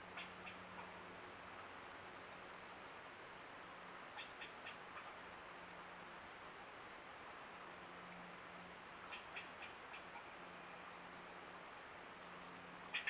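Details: Agitated squirrel scolding from a nearby tree while a bobcat visits a freshly set camera: faint groups of rapid, sharp chips recurring every few seconds, half-buried in constant broadband hiss.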